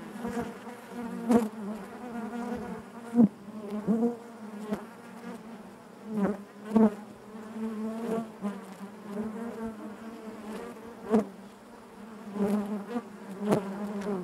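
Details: Honey bees humming inside their hive, an even collective drone broken by repeated brief loud passes and soft clicks or knocks from bees moving close by.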